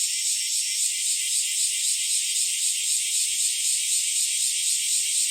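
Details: July 2023 cicada chorus, bear cicadas and Nii-nii cicadas, on an early summer morning: a steady, piercing buzz with quick rhythmic throbbing, about four pulses a second, over a constant high hiss.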